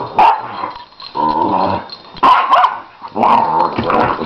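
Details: Play-fighting dogs, a nine-year-old Lhasa Apso and a one-year-old puppy: quick barks mixed with short rumbling growls, roughly one burst per second, uneven and excited.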